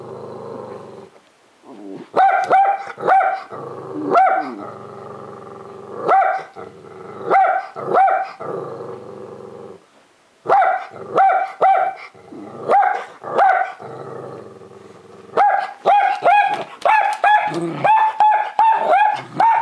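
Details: A female black-and-tan Miniature Dachshund barks sharply at a window cleaner in quick high-pitched bursts broken by brief pauses, joined by a longhaired dachshund.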